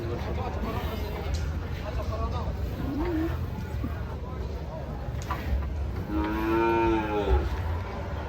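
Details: Fat cow raging while being loaded onto a truck; after a noisy stretch of low rumbling and faint lowing, one loud, drawn-out moo with rich harmonics rises and then falls over about a second near the end.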